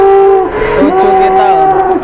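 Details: A jumbo cow newly brought in for sale to a livestock trader gives a loud, drawn-out harmonic moo lasting about two seconds, steady at first, then wavering and dipping in pitch, over a faint murmur of background voices.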